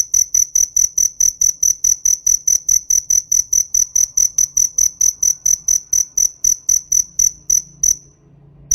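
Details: High, ringing cricket chirps repeated in a regular train of short pulses for about eight seconds, then fading into quiet.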